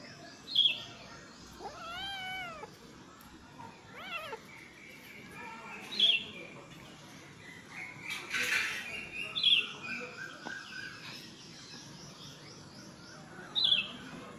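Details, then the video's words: Several cats making talking-like meows: short wavering mews with stacked harmonics around two seconds and four seconds, high squeaky chirps, a brief noisy burst near eight seconds, and steady background hiss throughout. "Funny cats talking"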